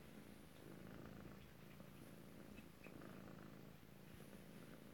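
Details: Close-up purring from Alabama kittens, dated 7 February 2018: an unbroken low rumble pulsing gently in and out with the breathing, quiet and even throughout.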